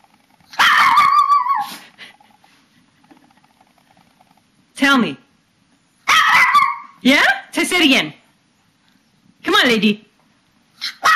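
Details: Papillons and a shih-tzu, pet dogs indoors in March 2007, performing their bedtime ritual of 'talking': drawn-out yowling, whining calls bending up and down in short bursts, with a woman encouraging them to sing.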